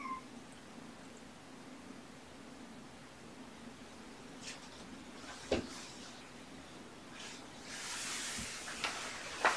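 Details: Domestic kittens with their mother cat Olympia, indoors on the morning of 18 February 2018 during petting practice: a few brief, thin, high mews near the start and again at the end over a steady low electrical hum and faint clicks.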